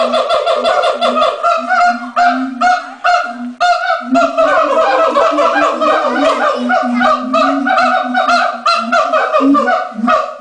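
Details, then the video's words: ['Siamang chorus at the LA Zoo just before lunch time, the male taking centre stage: dense, continuous ringing barks pour out in rapid succession over a low pulsing boom, loud throughout.'] "Siamang Calls"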